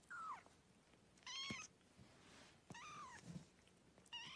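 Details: Newborn kittens suckling and playing indoors; short bright kitten meows, each arching up then down, four calls in quick irregular succession with soft handling noises between.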